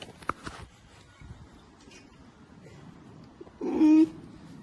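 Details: A curious polar bear cub investigating a camera gives one short, loud, indignant moaning bleat after a stretch of near silence.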